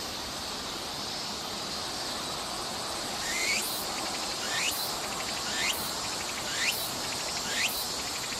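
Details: A Walker's (Tsukutsukuboshi) cicada sings shrill, rising, sweeping phrases about once a second over a steady insect hiss, recorded on a summer day, 14 August 2014, in Nishi Park, Sendai City, Miyagi Prefecture, Japan.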